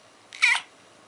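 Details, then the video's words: Siamese cat indoors in the morning giving a single short, bright, high meow lasting about a quarter second, with a person's voice calling to it before and after. "Fiona the Siamese cat"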